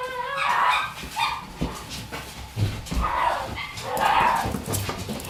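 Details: Shiba Inu puppies born on 21 September 2018; high whining yelps and squeaky whimpers in short bursts, some with rising or falling pitch, over constant rustling and scuffling.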